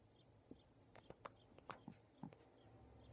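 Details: Pet cat named Cutie Pie chattering while watching a bird outside a window: a quiet, irregular run of brief clicking chirps over about two seconds, some mid-pitched and some lower, against a faint steady background hum.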